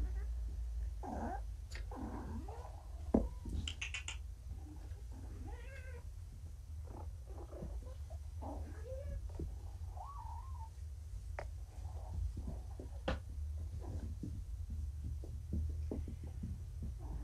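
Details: Four kittens, Vixen, Dancer, Donner and Prancer, once found abandoned, now back home indoors after neutering and wobbly on pain medication; short scattered meows and soft chirps over a steady low hum, with faint handling noises.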